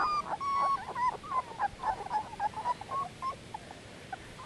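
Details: Dogo Canario pups, 18 days old, giving thin steady whines followed by a quick string of short squeaky whimpers that fade toward the end, quiet background.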